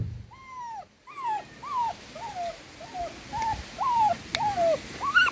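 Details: Miniature dachshund puppies suckling from their mother, one puppy afraid, give a run of about nine arched, whining whimpers, each rising then sliding down, repeating roughly every half second in a small quiet room.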